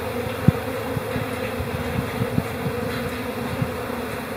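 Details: Calm honey bee colony in spring, April: a dense, steady low hum of many bees with occasional louder passing buzzes and faint crackling ticks.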